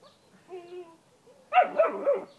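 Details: Young German Shepherd at a pool, checking for a monster in the water; a soft tonal whine first, then a burst of two or three quick, harsh barks.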